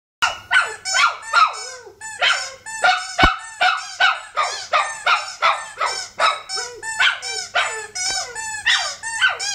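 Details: A dog 'singing' in a rapid, steady series of bright, harmonic yelps, about two or three per second, each sliding slightly downward, with a faint low hum underneath.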